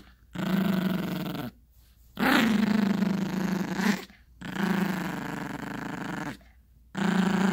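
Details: Yorkshire Terrier puppy growling as it plays with its owner and a dog toy on a bed indoors; four long, steady, rough growls of about one to two seconds each, with short silent breaks between them.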